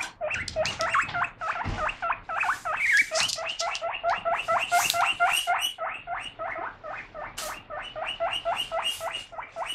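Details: Pet guinea pig making an excited uproar while lettuce is being washed, appealing for food; rapid high squealing wheeks, about four per second, sustained throughout with occasional clatter sounds.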